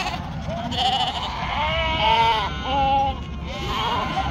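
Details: Flock of sheep kept in northern Spain, including a weak yearling ewe; short tremulous bleats with bright harmonics come in bursts, a few held steady, against a continuous low hum.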